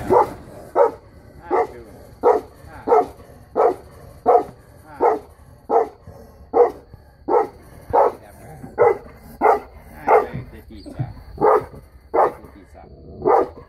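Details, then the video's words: Female Saint Bernard, three years old, barking while on guard: deep, loud single barks repeated steadily about every three-quarters of a second, around nineteen barks in a row with quiet gaps between them. "Saint Bernard security guard"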